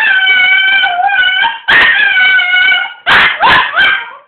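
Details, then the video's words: Household dog howling when the phone rings: loud drawn-out howls in several sustained segments with strong harmonics, broken near the end by short yipping notes that trail away. "Howling when the phone rings"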